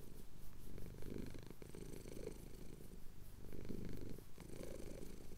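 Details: A male house cat purrs contentedly as his chin is scratched at sunrise over the Cotswolds, recorded with a Tascam DR-07X; low vibrating purr swelling and easing in long breath-length phrases, with a short pause near the end.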